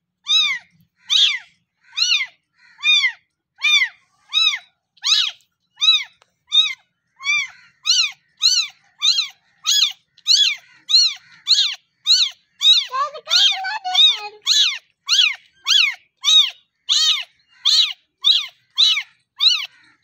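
A kitten gives high, thin meows over and over, calling to its mother for milk.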